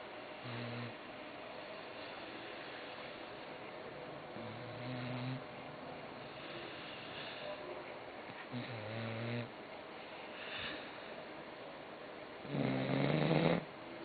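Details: Croqueta, a pet dog, snoring while asleep: low harmonic rasping snores in drawn-out bursts about every four seconds, with a louder, fuller snore near the end and quiet room noise between.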